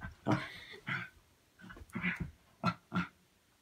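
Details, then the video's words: Dog at play inside a house making funny noises: a string of short, snorting grunts and huffs, separated by brief pauses, the last two sharp and close together. "Dog makes funny noises"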